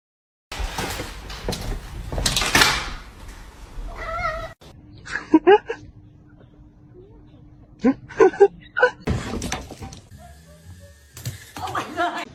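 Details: Pet cat letting out a short harmonic meow between loud human voices, door or cupboard knocks and laughter, with a faint steady hum in the room.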